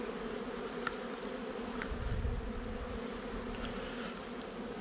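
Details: During a July 8, 2020 hive inspection, a honey bee nuc about a month old gives an even, buzzing drone. A low rumble of handling noise swells briefly midway.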